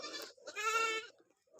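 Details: Goat calling out during a bath: a single nasal, wavering bleat lasting about half a second, with faint human voice and splashing just before it.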